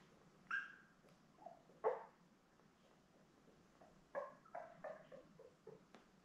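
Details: Seven Labrador Retriever puppies, born May 24, 2021, lie with their mother Belle under an indoor puppy cam in early June. Brief high squeaks and whimpers come in scattered bursts, then a quick cluster of short yelps near the end.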